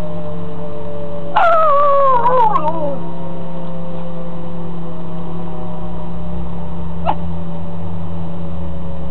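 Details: Razin the dog howling at a tornado siren: a single wavering, falling howl lasting about a second and a half, rich in harmonics, over a steady loud low hum, with a brief sharp click several seconds later.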